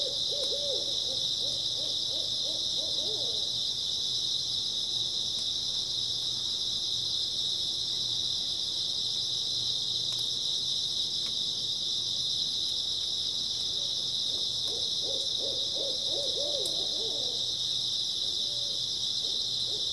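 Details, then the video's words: Grass insects keep up a constant high trilling through an early autumn night, with two bursts of rapid, low hooting calls, one at the opening and another midway. "초가을 밤부터 새벽까지 백색소음 풀벌레 소리"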